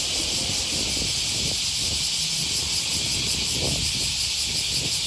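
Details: Cicadas in full summer chorus on an August morning by the Okawa River near Sakuranomiya Park, Osaka, Japan: a dense, steady, high shimmering buzz with slight pulsing, plus faint low traffic rumble.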